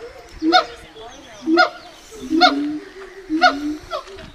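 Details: A captive siamang gibbon, a critically endangered ape tagged with Dublin Zoo, gives loud, harsh, bark-like calls about once a second, with deeper resonant tones between them.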